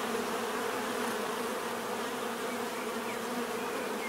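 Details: Steady hum of many bees, an even droning buzz layered in low bands with airy hiss overhead, no pauses or other creatures heard.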